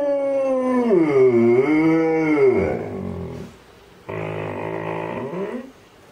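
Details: Male and female Alaskan Malamutes howling along to a siren: one long, sliding howl of over three seconds that dips and rises in pitch, then after a pause a shorter, rougher howl.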